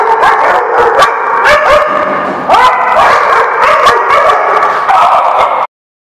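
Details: A loud pack of dogs keeps up continuous overlapping barks and yips mixed with drawn, tonal howling, then cuts off abruptly into silence near the end.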